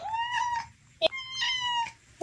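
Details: A vocal cat on a late night walk on a leash gives two long, clear meows, each level and drawn out with a short sharp chirp between them, then starts a third at the end; a woman's voice is heard nearby.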